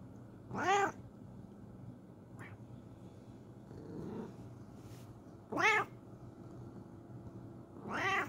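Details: A Bengal cat gives three loud, drawn-out meows with a harmonic, slightly wavering tone as a morning greeting.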